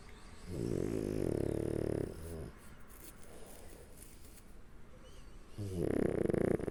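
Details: French Bulldog asleep on its back, tucked under a person's arm, snoring: a long, rumbling, raspy snore lasting about one and a half seconds, quiet breathing, then another heavy snore starting near the end.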